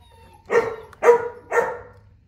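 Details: Three booming barks from a Boerboel, the African Mastiff of the couple Enzo and Diva in Egypt, evenly spaced about half a second apart, each deep and full with a short tail.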